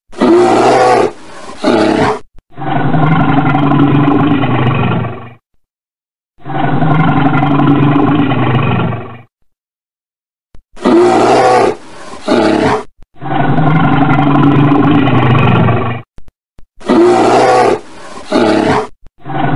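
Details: A red bear gives long, deep, rumbling roars in drawn-out bursts separated by short pauses.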